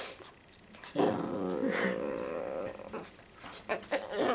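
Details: Pet dog whining indoors because it cannot jump onto a new bed: a steady, drawn-out high whine lasting about two seconds, then a few shorter whimpers and scuffling noises.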